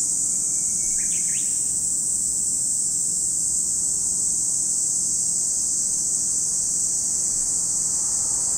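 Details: Steady high-pitched cicada drone at Lake Kamo, Sado City, Niigata Prefecture, Japan, never dropping, with one quick burst of bird chirps at the start and a thin whistle.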